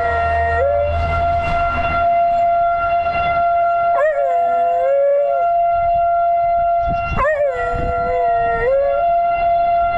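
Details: Pet dog Theo lets loose long howls after being let out the back door while a tornado siren wails. Two drawn-out howls rise sharply, then slide and waver lower, roughly three seconds apart, beneath the constant loud siren drone.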